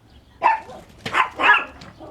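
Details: Brown Chihuahua barking at a white dog each time it fetches a toy, indoors during play: three short, sharp, high barks spaced about half a second apart, with faint room noise between them.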